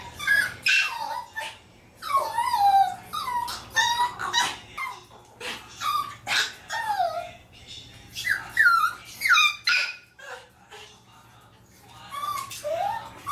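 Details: Pet Maltese dogs, a family of three including a daughter born in 2018, left at home as one goes out: a long, restless stream of high whimpers and yelping whines, sliding up and down, repeated roughly every second with brief pauses.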